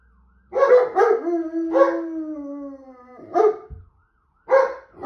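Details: German Shepherd responding to a police car alarm gives two sharp barks, then a long, level howl that slowly sinks in pitch and fades over two seconds, ending in further isolated barks with short silences between.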